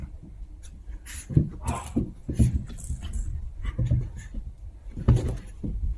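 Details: Two Chihuahua puppies at play indoors, giving short whimpering and grunting sounds in bursts about every second, with panting and scuffling close by.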